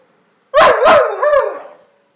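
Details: Two-year-old male whippet barking at a broom in play indoors: two sharp barks in quick succession running into a drawn-out, wavering yelp-whine that fades over about a second.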